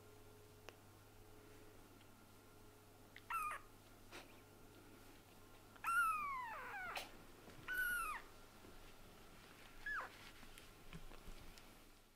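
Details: Kitten meowing while being held indoors: several short, rising-then-falling mewing calls spaced a few seconds apart, a couple drawn out and wavering, over a quiet room with a low steady hum.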